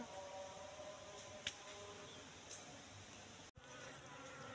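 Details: Colony of wild Asian honey bees in a three-month-old trap box as it is opened to check for honey: steady low buzzing hum, two soft knocks and a brief dropout.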